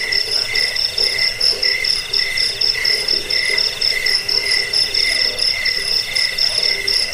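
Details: Cricket chirping meant for driving off rats, aiding sleep and tutoring songbirds, with bright high trills pulsing steadily in short groups and a second lower band of chirps beneath, several insects calling together.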